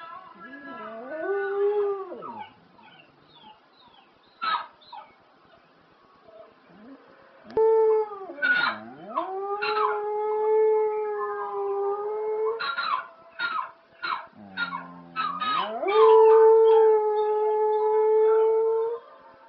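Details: Pet dog named Spliff howling along to ELO's old song Telephone Line: several long howls, each dipping low then sliding up to a sustained, even tone, broken by short sharp clicks and bursts between.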